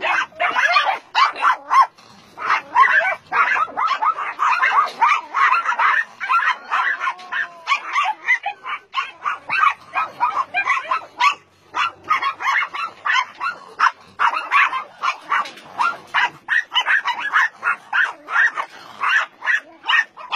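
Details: Dogs barking together at a meat farm and puppy mill in Nonsan, South Korea, January 2017, home to about 150 dogs including Dobermans, Shar-Peis, Chow Chows and Golden Retrievers; a dense, continuous chorus of overlapping sharp barks and yips.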